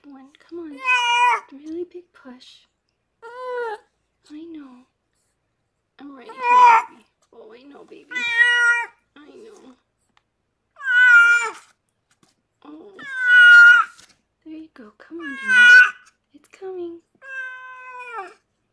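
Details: During labour, rescued foster cat Harlequin, who gave birth to six kittens after a veterinarian rescued her, meows again and again. The meows are short and wavering and often fall in pitch, roughly every two to three seconds, with low murmured speech in between.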